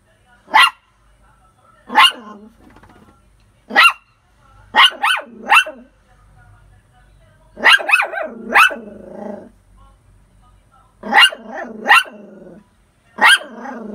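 A poodle barks in sharp, high bursts, sometimes single and sometimes in quick pairs or triplets.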